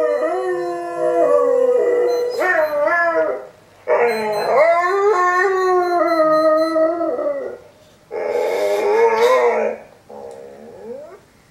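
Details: Pet Boxer dog howling back at videos being played: long, wavering, tonal howls with rich harmonics, rising and falling in pitch, in three main bouts of two to four seconds separated by short pauses, ending with a softer, quieter howl.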